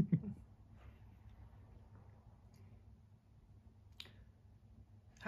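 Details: Quiet indoor room tone with a soft thump at the start, a few faint clicks and taps, and a sharper click near the end.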